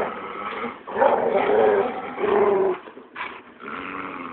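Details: Pet dogs, including a Labrador, growling while playing tug of war and keep away indoors: deep rumbling growls in three long bursts with a brief higher yelp-like rise near the end.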